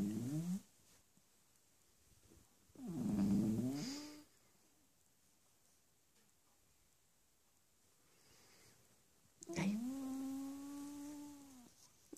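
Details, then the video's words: Cavalier King Charles Spaniel puppy Bentley, four months old, protests being kept off his human at bedtime: a brief whine, a rough throaty grumble, then a long, even, harmonic moan near the end, with quiet pauses between. "cavalier puppy bentley being grumpy"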